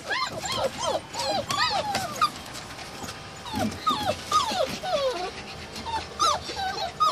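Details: Samoyed puppies with a Siberian Husky puppy whine steadily, thin, wavering squeals bending up and down, several pups calling over one another with barely a pause, against a soft rustling background.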